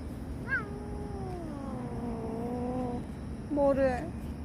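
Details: Cat crying near a police investigation scene, giving one long drawn-out meow lasting over two seconds that wavers slightly and slowly falls in pitch, then a short harsher cry at the end over a steady background hum.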